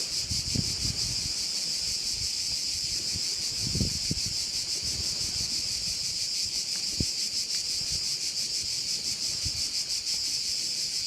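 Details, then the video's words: Crickets at a bay on Korčula island, Croatia: a dense, unbroken high-pitched buzzing chorus with a fast shimmering pulse, over occasional low gusts of wind rumble. "view of one of the bays in Korcula with sounds of crickets"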